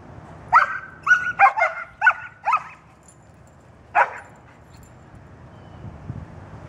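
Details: Pack dogs hunting squirrels, including Ricky with his high-pitched bark: a quick run of sharp, high barks over about two seconds, then one more bark after a pause, with a faint background hum.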